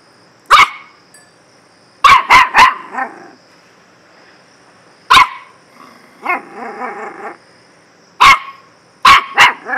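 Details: A dog gives loud, abrupt barks, some single and some in rapid triplets, with a short wavering, whiny growl in between and near-silence behind.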